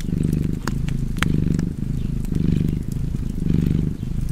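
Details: Domestic cat purring beside a crackling fireplace: a low, steady rumble that swells and eases with each breath, roughly once a second, with sharp pops and snaps from the fire.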